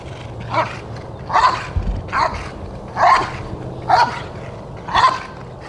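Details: Rottweiler Jefe von Tonatiuh during the IGP3 protection routine of a qualifying trial for the 2021 DVG America National Championships. Six loud, deep barks come in an even series about one per second, with low background rumble.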